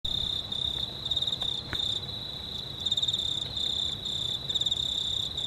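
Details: Crickets at night under a near-full moon, 19 March 2019: a steady high pulsed trill with chirps overlapping continuously, a fainter higher band above, and low background rumble.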